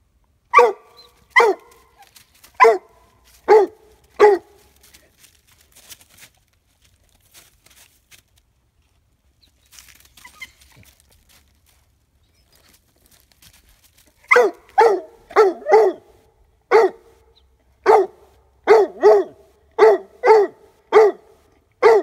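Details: Five-month-old Leopard Coonhound treeing on its first squirrel hide drag: loud, sharp barks in quick series, a quiet pause mid-clip with faint rustling, then a denser run of barks repeated about every half second.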